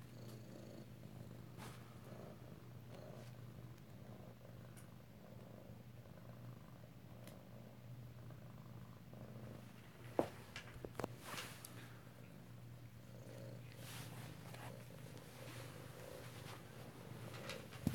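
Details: Kittens at home in Alabama on 2/7/18, close to the microphone, purr in a sustained low throb, briefly interrupted by sharp knocks and handling noises midway, with a woman's voice nearby.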